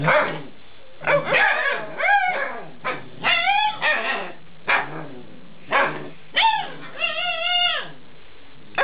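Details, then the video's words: Alaskan Malamute puppies, eight weeks old, vocalizing while being talked with: a run of short whining yips and drawn-out, arching howl-like moans, some rising then falling, in close bursts with brief pauses. "puppies talk"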